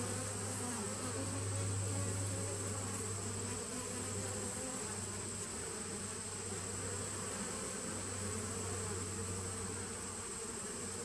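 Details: Colony of honey bees in a nuc, 19 September 2018: a steady low droning hum that swells and fades in loudness, with a thin constant high whine overhead.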